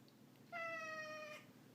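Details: A male Ragdoll cat lets out one drawn-out meow, a clear, tonal call lasting about a second that holds nearly level and sags gently at the end, against a quiet indoor background.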